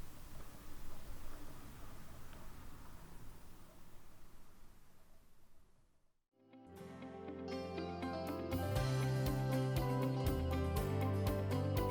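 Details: Quiet indoor room hum gives way after a brief silence to plucked guitar music with a steady beat.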